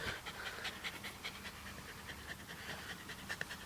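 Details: Fast, uneven panting from a dog with newborn puppies only a day old, about two and a half breathy bursts each second over a constant low electrical hum, with affectionate human voices close by.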